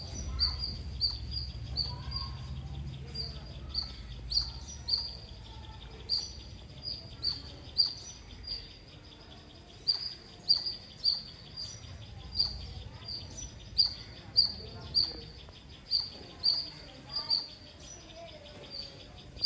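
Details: Sustained loud squirrel chirping: a long series of thin, high, clipped notes, mostly around two per second with short pauses, over low background rumble.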